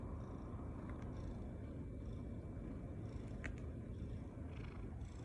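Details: Ragdoll cat purring steadily while kneading on a person's body in an affectionate, attention-seeking mood; a continuous low rumble with faint soft clicks and rustles above it.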